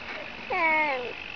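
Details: Cat whose meow is likened to the Russian words "ne znayu" (I don't know). A single tonal call of under a second with stacked harmonics. The pitch starts low, holds nearly flat, then falls away, with a faint steady hiss behind it.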